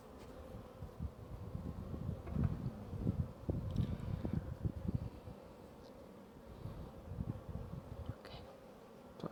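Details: Buzzing of honey bees inside a hive, a steady low droning hum broken by frequent crackling bursts and knocks from handling the frames.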